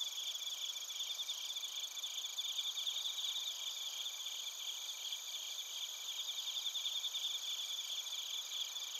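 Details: Chorus of suzumushi and other crickets at Narita, Chiba, Japan, captured on a TASCAM Portacapture X8; a continuous shrill wall of overlapping high trills with rapid pulsing, no single caller standing out, steady throughout.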